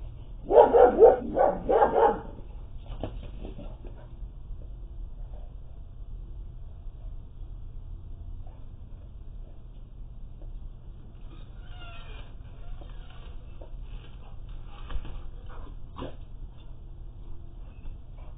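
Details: Seven-month-old puppy at a backyard fence in snowy weather, lured over by a neighbour who throws things at him: a burst of about four rapid, loud barks in the first two seconds, then mostly quiet with faint scattered sounds over a steady low hum.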